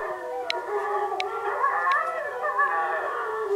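A Bullmastiff howls along with recorded wolves in long, wavering, overlapping tones.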